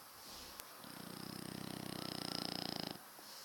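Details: French Bulldog, one of a pair of pet dogs, giving a massive snore indoors: a single rough, rapidly fluttering rattle lasting about two seconds, swelling slightly louder before stopping abruptly into quiet room hum.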